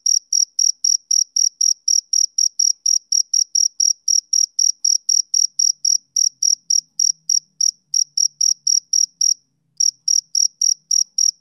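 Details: Summer-evening chirping of a male cricket: rapid, regular high-pitched pulses about four per second, with one brief gap near the end. A faint low hum sits underneath partway through.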